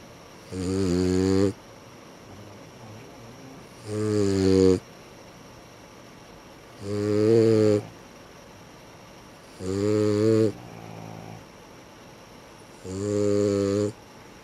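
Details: Sleeping dogs Sara and Ran produce five steady, rasping, buzzy snores, each about a second long, repeating roughly every three seconds in a slow regular rhythm, with quiet pauses between breaths.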